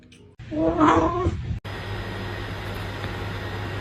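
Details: Pet cat indoors letting out a short, wavering meow lasting about a second, followed by a steady low hum and background hiss.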